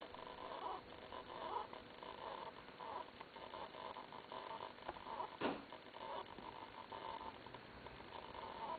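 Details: Pet cat called Lillie making a strange, quiet noise: a soft, nasal, snore-like pulse repeated about every three-quarters of a second, with one sharp click partway through and a faint room hiss beneath.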